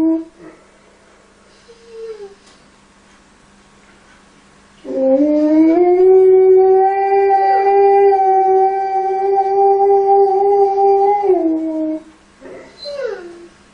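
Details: An Alaskan Malamute, reportedly responding to a crying baby, gives a long, steady howl held near one pitch for several seconds before dropping away, framed by short whimpering yips, with a faint background hum.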